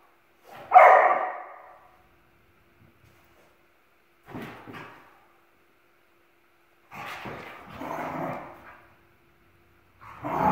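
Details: Indoor play between two Dachshund siblings chasing each other: four separate gruff bark bursts, the first loudest, spaced a few seconds apart with silence in between.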